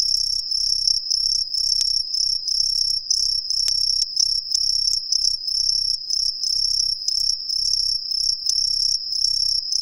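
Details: Chorus of green tree crickets hidden in roadside trees in a residential neighbourhood of Ehime, Japan: a steady piercing high-pitched ringing trill, overlapping pulsed chirps from multiple insects, no other sounds.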